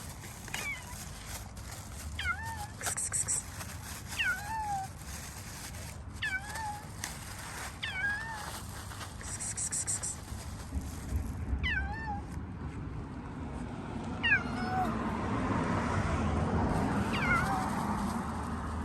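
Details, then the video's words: Shy, hungry stray street cat, squeaky-voiced, waiting for its feeder to move away before it starts eating; short high squeaky meows with falling tails, repeated every one to two seconds, against low outdoor rumble and rustling. "The squeaky shy Kitler told me: until you move away, I won’t start eating!"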